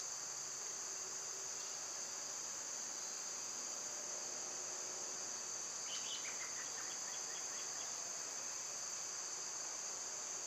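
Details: A continuous high whine of cicadas in the summer season, level and unchanging, joined midway by a quick series of descending bird calls.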